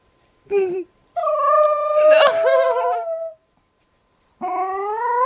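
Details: Pet dog with an unusually weird-sounding howl: a short yelp, then a long, steady, harmonic-rich howl lasting about two seconds that wavers in the middle, and a new rising howl beginning near the end.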